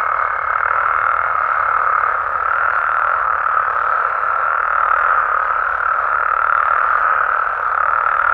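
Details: Many frogs and toads in Mexico call together after dark, producing an even, dense rasping chorus without pauses, a faint higher note fading out in the first two seconds.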